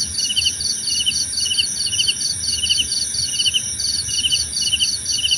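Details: Crickets singing, used as soothing ambience: fast, even high trill of tiny pulses beside a louder chirp repeating about three times a second, with a steady shrill hum far above.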